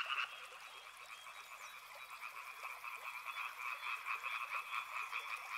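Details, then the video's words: Frogs by a river keep up a massed croaking chorus, softer at first and then swelling, with rapid rough pulses layered over a steady trilling hum. "Frog Sounds | Soothing sounds of river and frogs"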